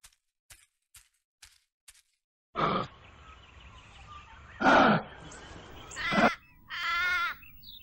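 A kangaroo gives five soft, evenly spaced clicks, then three rough, hissing grunts about two seconds apart, ending in a short, wavering nasal bleat.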